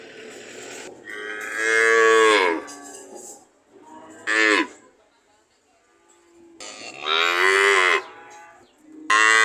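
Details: Mooing cow giving three long, rich moos, the first and last sliding downward at the close, with a shorter bellow between them and a low background hum.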